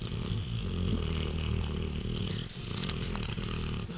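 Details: Nokas, a three-year-old male Rottweiler, asleep on a couch for an afternoon nap, giving a continuous low rumbling snore with rough, grinding texture and steady loudness throughout.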